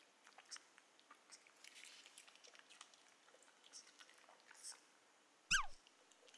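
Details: A female Pomeranian begging for corn gives one sharp, high whine that slides quickly downward, over soft crunching sounds.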